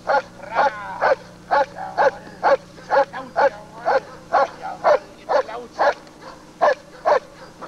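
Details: Working German Shepherd Lord v. Gleisdreieck DDR, in home footage from 1995 recorded off a television, gives a run of loud, evenly spaced barks, roughly two each second, with a low steady hum behind.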